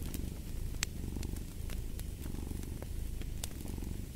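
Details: Close, rich cat purr, a low buzzing rumble pulsing with each inhale and exhale, while a few sharp fireplace pops sound.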